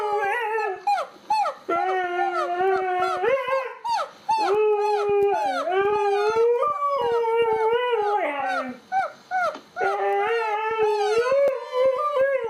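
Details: A pet dog howls and yelps back at an annoying noise: wavering, sliding howls broken by short choppy yips and a few pauses, rising and falling in pitch throughout.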